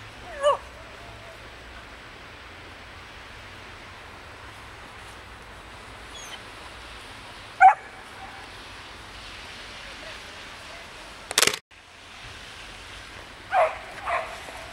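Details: Samoyed puppies Ettore and Atena playing in the snow: a handful of short, sharp yips and barks, widely spaced, two coming close together near the end, with a loud click midway and a quiet outdoor background.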